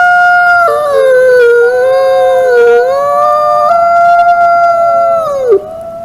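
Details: Two or more wolves howl together in long, level, sustained notes. One voice wavers up and down beneath another steadier one, and the chorus closes with a downward sliding fall.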